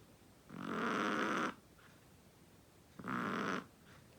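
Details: Snoring Chihuahua: two harsh, buzzy snores, the first about a second long and the second shorter, separated by a quiet gap.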